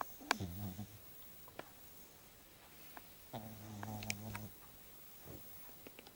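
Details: French Bulldog named Rocco, asleep, in his first snores: two drawn-out, low, buzzy snores of about a second each with a layered harmonic tone, separated by a quiet pause and a few sharp clicks.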